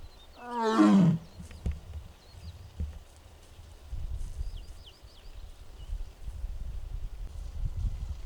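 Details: Six-year-old captive tiger Mugung at the Tiger Forest of Baekdudaegan Arboretum, Bonghwa, South Korea, on an April 24, 2026 afternoon, making strange sounds. One short harmonic roar, under a second, falls in pitch. Low rumbling, shuffling and faint bird chirps follow.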